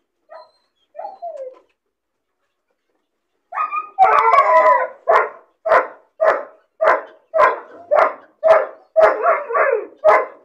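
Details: A lonely, bored puppy caged alone: two soft whining cries, then a burst of rapid, sharp, yelping barks repeated about twice a second, ending in a few drawn-out whines.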